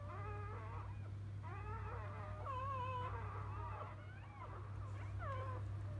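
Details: Field-line Labrador Retriever pups moments after being born to their mother biscuit: drawn-out wavering whines repeated about every second, some sliding up then down, with a constant low hum beneath.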